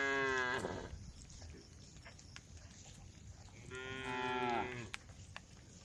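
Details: Tame female cows calling the herd on a road: one harmonic moo fading out, about three seconds of quiet background hiss, then a second longer moo that bends downward at its end.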